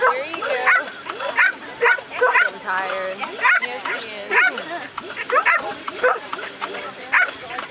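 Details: Female American Staffordshire Terrier Shade barks while pursuing the lure on her second qualifying leg of an AKC Coursing Ability Test in Ocala, Florida, April 28, 2012. Rapid, uneven barks and yips sound over people speaking.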